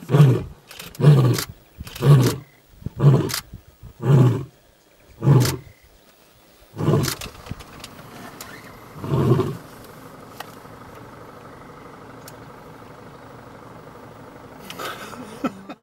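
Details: Closing grunts of a young male lion announcing himself in the African bush: six quick low huffs about a second apart, two weaker ones, then a steady low rumble like an engine.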